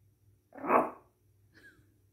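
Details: A Shih Tzu puppy named Thunder gives a short, loud, rough howling yelp, then a faint falling whine, "singing" along with a drum beat.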